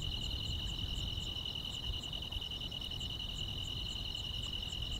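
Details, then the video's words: Grass insects chirping on a summer night: a steady, shrill, unbroken trill holds throughout, overlaid by faint high ticking pulses repeating about twice a second, with a soft low rumble beneath. "여름밤의 포근한 풀벌레 소리"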